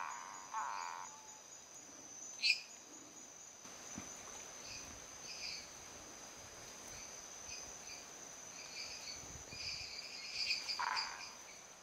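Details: Male Boana multifasciata in Viçosa do Ceará, Brazil, switching from calm singing to a territorial call and small paw movements on seeing another male nearby; short harmonic notes at the start and near the end, over a steady high insect-like whine and distant Dendropsophus minutus calls.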